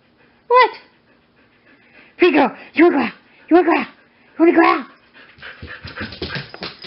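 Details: Wendy, a female Siberian Husky at a rescue awaiting adoption, gives several short, rising-then-falling whining vocal bursts about a second apart, with a woman's voice talking to her and some shuffling noise.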